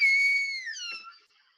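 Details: A killer whale of the AK pod gives its pod-identifying call, a high, steady tone that bends downward near its end; this call belongs only to that pod.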